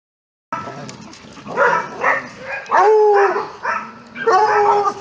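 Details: Dogs playing a tug-of-war game in a dog resort nature park, several animals calling together: harsh barks and yelping, whining tones in irregular bursts, with a person's voice commenting nearby.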